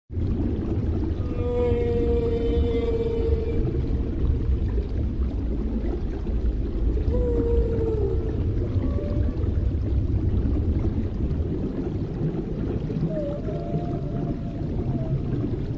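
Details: A mother humpback whale with her calf in warm waters gives long, tonal moans that bend up and down, over a deep rumble of water.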